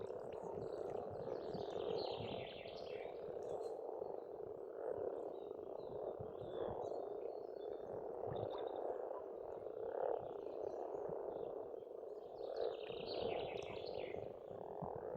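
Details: Many frogs croaking together at a pond in Estonia during spring, a constant low grating chorus with swells, overlaid by chattering birdsong in bursts.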